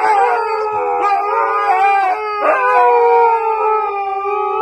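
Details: Loud, continuous howling from Husky dogs, with layered voices that waver and slide. The pitch drifts gradually downward toward the end, with a short yip-like break in the middle.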